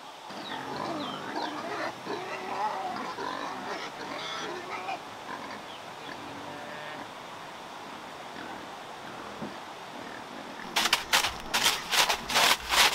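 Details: Wild boars kept in captivity in Vietnam, sows preparing to give birth in a prepared nest. Low, rough grunting and snuffling at first, fading to quiet hiss, then loud repeated harsh noisy bursts near the end.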